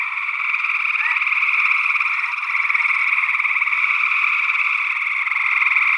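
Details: Northwest Wisconsin, early June 2022: a continuous buzzing trill chorus of many overlapping gray tree frogs, captured with paired ORTF condenser microphones. One brief rising peep from a second frog species rises above it near the start.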